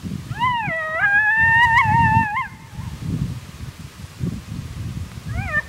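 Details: At daybreak, a male coyote, one of a pair angered by a caller too close in their territory, gives a wavering, rising howl warning the intruder off.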